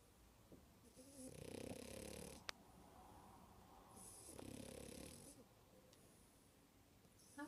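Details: A sleeping female French Bulldog, lazy and probably dreaming, snores very loudly in long, raspy, rattling breaths, each lasting over a second.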